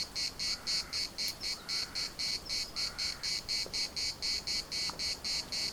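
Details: Cicadas singing in the municipal park of Larnaca: a dry, buzzy chorus pulsing about four times a second in even bursts, with faint short bird calls in the background.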